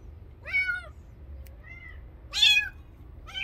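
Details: Stray kitten meowing in short bursts: three strong arched cries and one softer, thinner mew between them, with quiet gaps and faint low hum.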